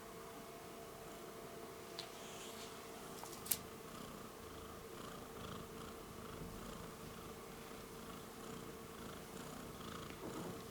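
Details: Domestic cat Rudolph purring while kneading (making biscuits) indoors; a steady, even low purr runs through the whole stretch, with a couple of soft brief clicks near the two- and three-and-a-half-second marks.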